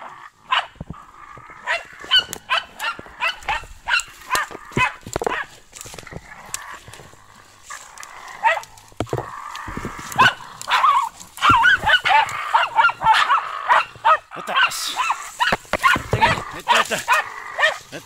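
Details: German Hunting Terrier Brita barking steadily and excitedly, a long string of rapid, sharp yaps that grows denser and louder toward the end, with some rustling underneath.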